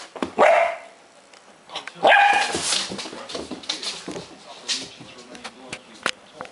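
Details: Bullkita dog named Gijsje barking while playing with a toy indoors; two short sharp barks, one near the start and another about two seconds later, then softer rustling, thumps and clicks of play.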